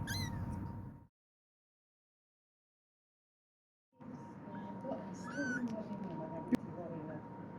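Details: A kitten (Felis catus) calls for its mother with thin, high-pitched mews that rise and fall, with a steady faint hum behind.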